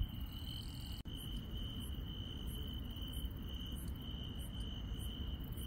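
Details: Night insects in a rural setting keep up a continuous high-pitched trill, with faint higher ticks repeating about once a second, a sharp click near the first second, and steady low background rumble.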